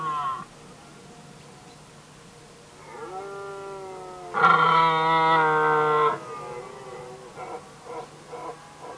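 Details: Red deer stags competing over hinds in the rut, Västmanland, Sweden, 2010: a softer drawn-out bellow, then a loud steady roar lasting nearly two seconds, followed by a series of short grunting pulses.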